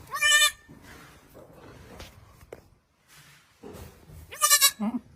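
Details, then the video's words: Goats grazing and feeding on a farm, two short nasal bleats, one at the start and one near the end, separated by quiet rustling and faint chewing-like noises. "Funny goats sound"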